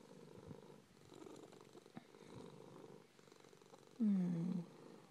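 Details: Pet cat Suzie purring softly in a low, rhythmic rumble that swells and fades with each breath, ending in a short louder murmur near the close.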